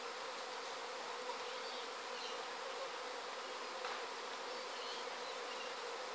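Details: Honey bees swarming from a hive in Sydney in 2012: a dense, steady, unbroken hum with a strong low-pitched drone band and a wash of higher hiss, no pauses throughout.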